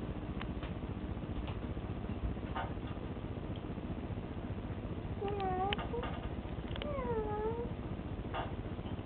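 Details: Four-month-old Bengal kitten checking out a sink indoors, giving two short harmonic meows a second apart, the second bending up then down, over a constant broadband hiss with scattered clicks and taps.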